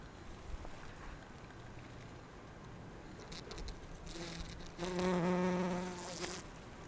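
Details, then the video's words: Bumblebee resembling Bombus ardens or Bombus ignitus visiting rhododendron flowers for pollen: several seconds of rustling and soft background noise, then a close, loud, low droning buzz swells in for about a second before fading. "ツツジの花を巡るハチ1 Bees gathering pollen on Rhododendron"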